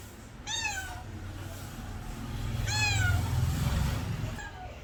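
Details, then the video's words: Domestic cat meowing: two clear harmonic meows, each falling slightly in pitch, about two seconds apart, over a steady low rumble of background noise. "my cat original sound and reaction"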